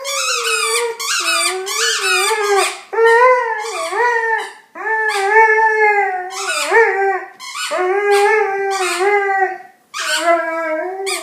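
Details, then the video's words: Pet dog singing while playing with a toy indoors; a series of long, sliding howls with rich harmonics, each rising and wavering before falling away, broken by short breaths into about six phrases. "Cute dog singing and making sounds with toy"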